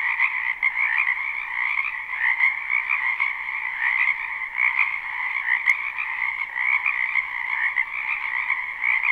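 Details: Frogs massed in a wetland during spring, captured live: a thick, even wall of rapid croaks in two pitch layers, steady throughout, with one brief faint click partway through.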